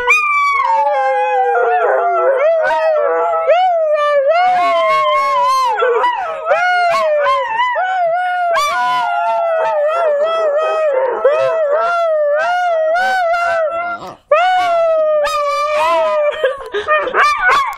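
A Podenco howls in long, wavering tones that rise and fall, with short yelps breaking in.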